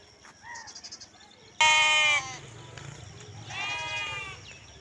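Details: Lamb noises: a sudden loud high bleat followed by a softer wavering bleat, with faint chatter and background rumble.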